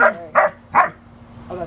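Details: Playful barking as a 5-month-old German Shepherd puppy plays with an American Eskimo Dog: three clear, evenly spaced barks about every 0.4 seconds, then a softer fourth one after a pause.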